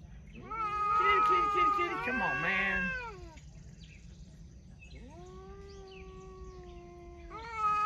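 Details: Cat talking: a loud, wobbling, warbled yowl lasting nearly three seconds, then after a quiet gap a smooth, level meow of about two seconds, and another call just beginning at the end.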